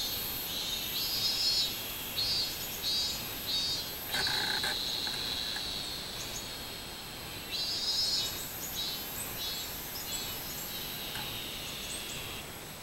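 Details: Shrill pulsing song of minmin cicadas, 24 July 2016, rising and falling in quick surges, with a sharp broadband knock near four seconds and the drone fading toward the end.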